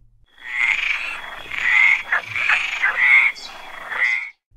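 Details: A frog calling in a rapid series of pulsed, rasping croaks, with about five bursts over four seconds and a strong buzzy tone throughout, then ending in silence.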